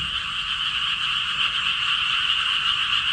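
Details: Frogs croak in a steady, dense chorus of rapid, high-pitched trilling notes, startling a timid golden retriever that seems frightened by the sound.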